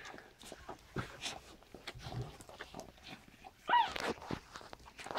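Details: Standard poodle Brizz giving birth to her second litter of seven puppies, indoors. Rustling and handling noises throughout, then a loud, short, high squeal that bends downward partway through, followed by more shuffling.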